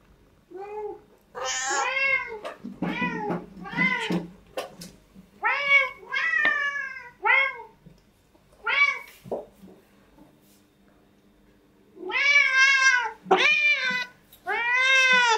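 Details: Several cats meow at a breakfast table indoors; a busy string of short, arched, harmonic meows of varying pitch, some overlapping, then a brief lull before three loud drawn-out meows.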